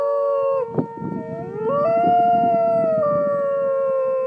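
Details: Dog named Beemer howling like a wolf: one long tonal howl that breaks, rises, holds steadily, then glides down. A steady, unwavering tone sounds under it throughout.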